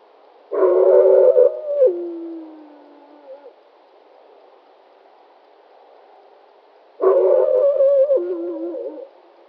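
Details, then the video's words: A wolf directs two growling howls at a human. Each lasts about two and a half seconds, with a rough, gravelly onset that settles into a steady tone and then steps down lower. About five seconds of quiet separate them. "Growl Howl"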